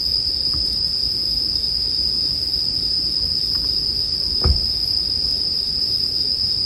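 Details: Bell crickets sustain a bright, even high trill as a sleep soundscape, while a campfire crackles softly beneath; one louder thud-like pop of burning wood stands out past the midpoint.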